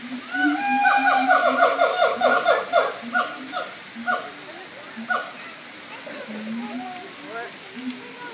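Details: Siamang apes at the Tampa Zoo sing a loud run of rapid, ringing whoops that rise and fall, then taper into scattered barks.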